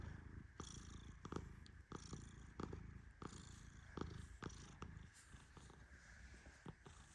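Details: Sleeping male Persian cat being stroked gently, snoring in a steady low rumble broken by regular breathy pulses roughly every 0.7 seconds, with light rustling from the petting hand.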